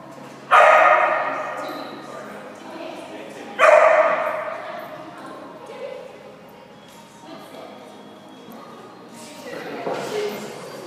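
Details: A Keeshond gives two loud, sharp barks about three seconds apart, each ringing out and fading slowly, followed by softer, murmuring, voice-like sounds in a reverberant space.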